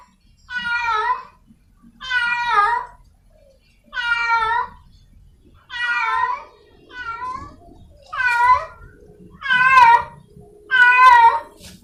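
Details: A wild cat in heat searching for a partner gives eight wailing meows about every 1.5 seconds. Several bend up and then down in pitch, and the later calls grow louder, over soft low background noise.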